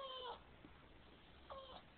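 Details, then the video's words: Pet Boston Terrier named Cartman whines twice, each a short, high, slightly falling nasal whimper, the pair about a second and a half apart, while a person talks to him about feeding and supper time. "cartman dont like to be kissed"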